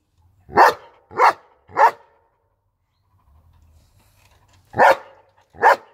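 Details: Three fast, evenly spaced barks from a German Shepherd, a quiet pause with a faint low rumble for about two seconds, then two more loud barks.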